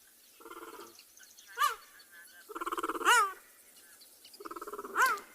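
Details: On an afternoon safari in a South African game reserve on 11 March 2021, a male cheetah gives sharp, bird-like chirps about every one and a half seconds, calling for his brother. The calling could attract other predators.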